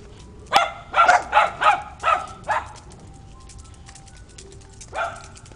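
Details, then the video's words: Dogs barking on a roof: a fast run of six sharp, ringing barks within two seconds, a long quiet gap, then one final bark. "Barking doggies!"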